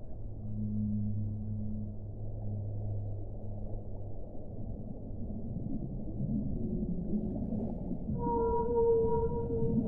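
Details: Whale song in two parts: a deep, long, humming moan with a faint upper overtone for four seconds, then after murmuring underwater noise a higher, clear tonal note with overtones rising in at the close.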